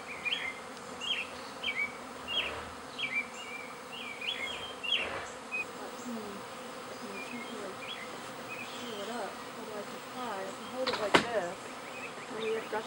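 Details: Backyard honey bees swarming in spring as half the hive, with a new queen, moves to a second hive; a dense steady hum of many bees, with high chirping bird calls repeated over it and a sharp click near the end.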